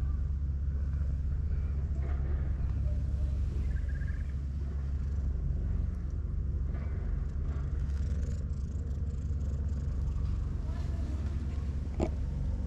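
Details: Brown tabby cat being stroked, curling its body up like an armadillo; a steady, deep, low rumbling purr runs unbroken through the whole stretch, with a short sharp click near the end.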